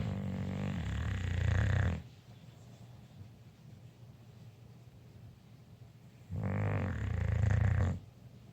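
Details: English Bulldog snoring: two long, rough, low snores of about two seconds each, with a grinding rumble and a buzzy rasping upper edge, separated by roughly four seconds of quiet breathing in a small room.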